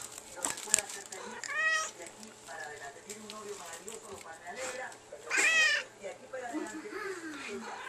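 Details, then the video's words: Indoors, a female house cat mews back at its owner, giving two drawn-out arched meows several seconds apart, the second louder and slightly wavering, amid a woman's chatter and low background hum. "Cute kitty talks!!"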